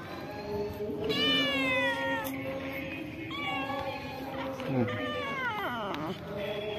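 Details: Cats and kittens living at a pagoda, fed by visitors, give several drawn-out, rich meows that rise and fall, some wavering and overlapping, with a lower voice joining near the end.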